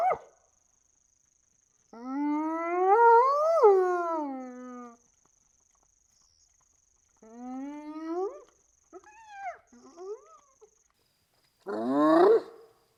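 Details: A spotted hyena recorded in Namibia gives drawn-out, rising whoops with a few shorter, wavering cries between them.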